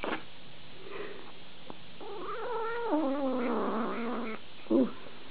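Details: Domestic cat in a compilation of funny cat videos, giving a drawn-out, wavering meow of about two and a half seconds that slides downward and then holds, with a short sharp sound near the end and quiet room background.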